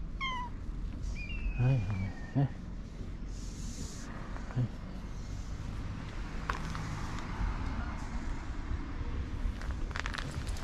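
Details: Fluffy stray cat mewing: a quick descending meow at the start, then a few short sliding cries, followed by a person speaking Japanese and low outdoor background noise.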